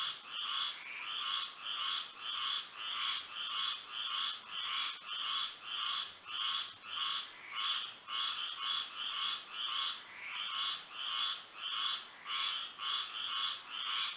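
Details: Nighttime frog chorus in Florida under moonlight, with rhythmic pulsed croaks about every half second. The calls swell and fade in loose bursts over a constant shrill insect tone.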